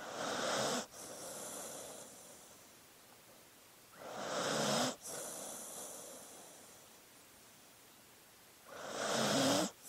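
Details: Sleeping dog's breathy, hissing snores come in three bursts about four seconds apart, each ending abruptly, with soft quiet breathing in the gaps.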